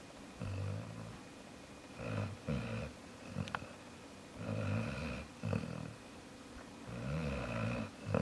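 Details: Snoring from Jaxson the dog: uneven low rumbles, some doubled, separated by brief silences, with a sharp click and soft snorts among the rasping breaths.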